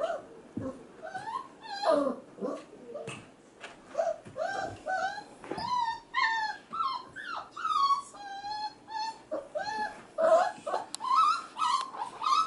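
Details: Male F1b Goldendoodle puppies, about five and a half weeks old, crying in the background while female littermates play with children indoors: rapid high whimpers and yips, some rising then falling, repeated nearly continuously.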